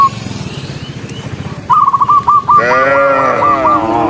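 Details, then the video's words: Cows running along a rural road: a low rumbling patter first, then a quick series of short, high whistled notes, and finally a single long, deep moo that slowly falls in pitch. "Dozens of cows running happily along the rural road with the sound of their mooing"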